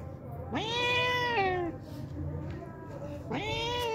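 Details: A hungry stray cat that turns up daily for milk calls with one long meow that rises, holds and drops, then a second meow begins; faint low hum throughout.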